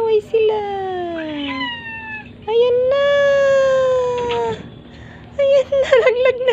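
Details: Playful pet cats indoors: long drawn-out meows, each falling slowly in pitch, the first near two seconds long and a second sustained one after a pause, then shorter wavering meows at the end; faint background hum.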